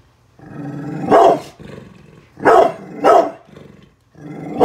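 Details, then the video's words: Bullet, a brindle pit bull protecting the house from construction workers working outside, growls low and steadily, broken by three loud harsh barks, then the growl resumes. "brindle pitbull protection dogg !!! scary growling and barking"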